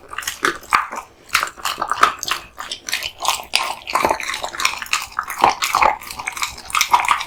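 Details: Raw meat and bones eaten by Kotetsu, a male American Bully, in a small room: steady crunching and wet smacks, irregular bites with brief pauses, occasional high squeaky clicks.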